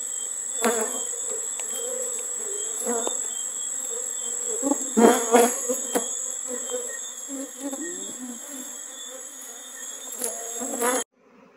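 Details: Honey bees swarming around hives in Jamaica while a man works the frames. A steady low droning buzz holds throughout, swelling in louder bursts near the middle, over a thin constant high whine, and it stops abruptly at the end.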